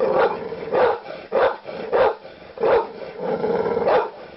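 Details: Rapid angry barking from a dog: seven loud, harsh barks at fairly even half-second gaps, each short and punchy, with a rumbling growl underneath.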